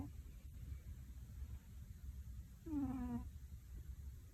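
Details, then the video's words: Tora, an overweight cat, snoring heavily while asleep indoors, a snore tied to possible sleep apnea. A single voiced, falling groan with rich harmonics rises from a steady low rumble of breath, then fades back to quiet. "A snore of a cat is big."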